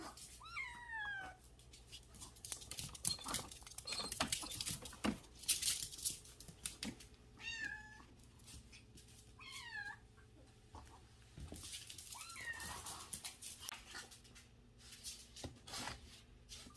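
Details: A kitten, about to go for adoption and later returned, mews repeatedly in a small indoor room: short, high, rising-then-falling mews in scattered bursts, mixed with clicks, rustling and handling noises.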